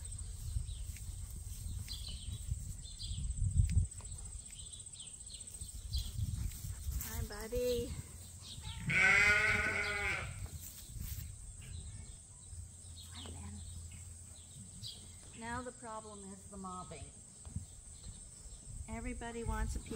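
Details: Rams on Ewetopia Farms, a registered Suffolk and Poll Dorset sheep farm where two favorites, Gladiator and Leonard, get attention. A short bleat near seven seconds, a loud wavering bleat around nine seconds, then harmonic bleats later, over low rumble and speech.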